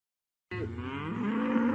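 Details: A cow lowing in one steady, sustained moo with a low harmonic tone that holds level and swells slightly toward the end; no other sounds.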